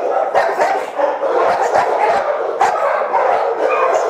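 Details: Several caged Boxers at an animal shelter barking together, a steady wall of overlapping barks, with a few louder, sharper yelps standing out and short whimper-like notes mixed in.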